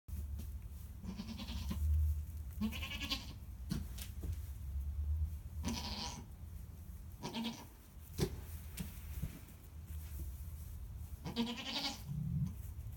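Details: Baby goats bleating repeatedly, several wavering, nasal cries spaced through the recording over a steady low rumble of background noise.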